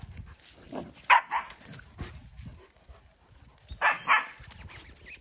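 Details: Puppies tussling in play: a double yelp early on, faint grunts and scuffles, then another close pair of high barks near the end, with a woman calling them in Georgian.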